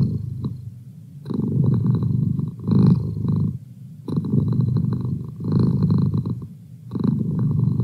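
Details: Low, rough purring from Merlin the domestic cat, swelling and fading in phrases of one to two seconds separated by brief quiet gaps.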